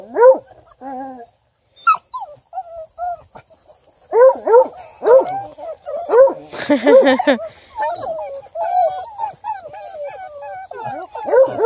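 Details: Ten-month-old female Bluetick Coonhound, a house-raised hound that runs rabbits and deer, giving a series of arched, yodelling bays and whines. A few sounds come at the start, then a pause, then denser bursts.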